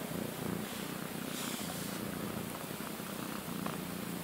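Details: A pet cat, one of two sisters shut in a front bedroom for a week, gives a continuous low purr with a rhythmic throb, plus soft rustles and handling noise.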